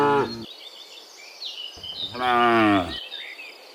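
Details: Morning cattle heading from the field back to the pen. One moo is cut off, then a fuller, longer lowing follows, over a background of chirping birds and insect buzz.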